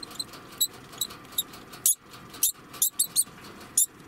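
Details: Alarm calls from an 11-month-old male degu: short, sharp, high chirps, about a dozen in four seconds at irregular spacing, over a low background hum.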